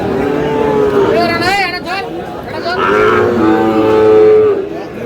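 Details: Sahiwal bull calves at the Aftabganj cattle market, Dinajpur, on 4 August at the start of trading; steady drawn-out moos, one early and one longer later, mixed with a quavering human voice and market chatter.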